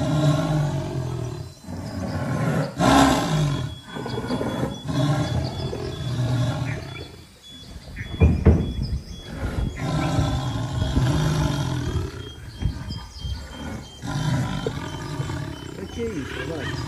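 A jaguar roars in deep, rough grunts repeated every second or two, with a faint steady high whine behind.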